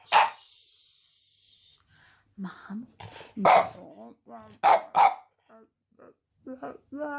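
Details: An 8-month-old male French bulldog puppy gives sharp barks mixed with grumbling, talkative yowls that rise and fall as he tries to talk.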